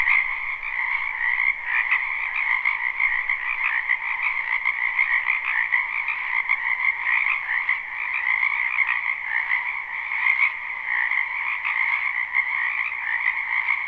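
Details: Many frogs croaking together in a spring wetland, a live unlooped recording: a dense, unbroken trilling chorus in two steady bands, mid and higher pitched, with constant overlapping pulses and no other clear sounds.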